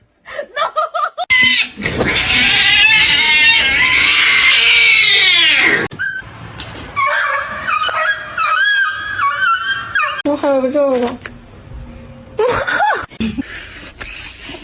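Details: Pet cat indoors letting out a long, loud, strained yowl lasting about four seconds, followed by shorter warbling meows and a final rising cry, with laughter and voices in a small room.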